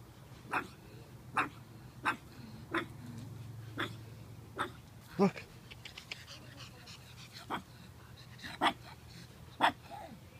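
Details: Maisy, a pug puppy, barking while chasing shadows on July 31, 2015; a dozen abrupt, gruff yaps spaced roughly a second apart, with a steady low hum underneath and a person's voice in between.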